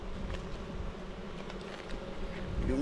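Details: Honey bees kept at a native-bee apiary on Jirisan, South Korea, buzzing as a beekeeper lifts out and inspects the sixth hive frame; a steady low hum with soft crackling handling noise throughout.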